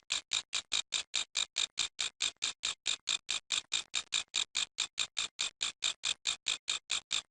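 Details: A grasshopper's noise as an even train of harsh, high, rasping bursts, roughly four or five each second, with crisp gaps between them and a steady, unbroken rhythm throughout.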